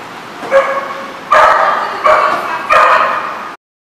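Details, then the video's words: Dog at a lot, recorded 16 June 2014; four drawn-out, tonal, whining barks, each lasting around half a second to a second, separated by short pauses over a faint background hiss. "The Barking Lot"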